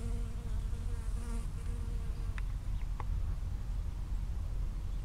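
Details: Close-range bee flying between strawberry flowers in a field, 19 June 2011, within 5 cm of the recorder: even, humming buzz over the first two seconds, then fading, leaving low rumble and a couple of faint clicks.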